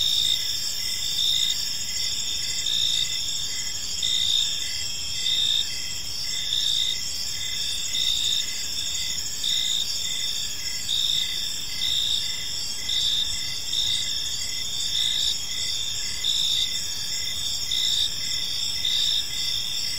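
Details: Park crickets at evening chirp steadily, sharp high pulses recurring close to once a second for the whole stretch, layered over an even, ringing insect chorus.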